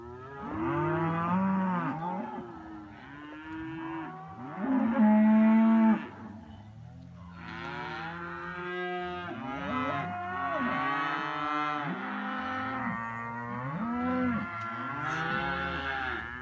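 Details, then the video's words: Herd of cows in August reacting to passing hikers along a long-distance trail, several animals mooing loudly and overlapping in a continuous chorus of drawn-out, wavering lowing calls, one loud deep moo near the fifth second. "cow chorus"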